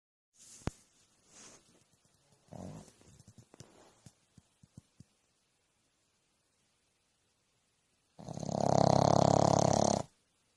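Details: Loud snoring dog: after several seconds of near quiet with faint rustles and a few sharp clicks, one long rasping, fluttering snore lasting about two seconds closes the recording.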